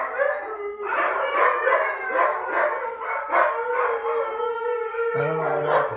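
Huskies howl loudly in long, wavering tones that rise and fall, several voices overlapping.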